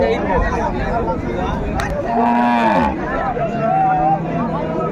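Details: Improved-breed dairy cow at Raniganj cattle market, Dinajpur, Bangladesh, on 13/2/25, giving a drawn-out, slightly wavering moo lasting under a second, with people bargaining over prices and the murmur of a crowd behind.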